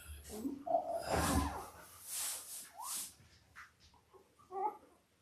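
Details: Labrador Retriever puppies at five days old, part of mother Belle's eight-pup litter born October 15, 2023, filmed indoors: thin high squeaks and a brief upward-sliding whine, scattered among rustling and soft bursts of noise.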